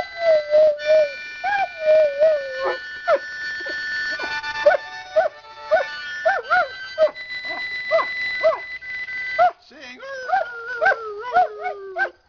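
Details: Half-mastiff, half-rottweiler Fido joins in with a harmonica, giving a drawn-out wavering howl, then a run of short upward-bending yelps between chords, ending in a sliding, descending moan over the harmonica.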